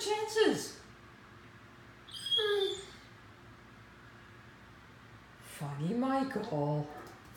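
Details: Mikey, a nine-month-old Great Dane puppy, howls at his own reflection in a mirror while playing with his ball indoors: three short wavering, harmonic howl bouts with quiet gaps between, a person's voice nearby.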